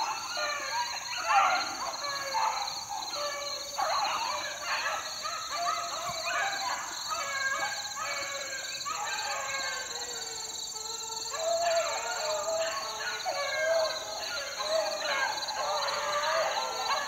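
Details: Several 4-month-old beagle pups out in the wild in 2013 bay together in a dense chorus of overlapping, wavering howls and yelps, with a steady high-pitched whine running throughout.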